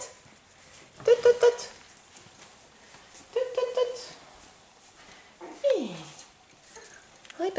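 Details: Five-week-old Australian Terrier puppies whining indoors: two short bursts of tremulous, mid-pitched whimpers near the first and fourth seconds, then a single drawn-out whine sliding steeply downward, with quieter whimpering at the end.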